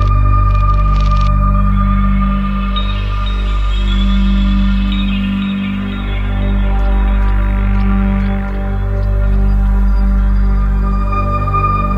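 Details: Only steady, droning ambient music with sustained low tones is heard, with no animal voice. A faint shimmering texture drifts above the low drone throughout.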